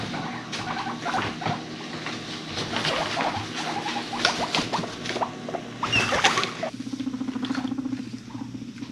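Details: Guinea pigs chasing each other and rumblestrutting, with deep purring sounds; busy clattering scuffles and short squeaks, then a steady low pulsing purr near the end.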